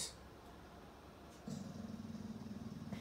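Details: Lizzie, a rescued Staffordshire Bull Terrier x Rhodesian Ridgeback, guards her wheelchair-bound owner indoors against someone she suspects outside the door. A low, steady, pulsing rumble of a growl starts halfway through and carries on to the end. A calm voice speaks before and after.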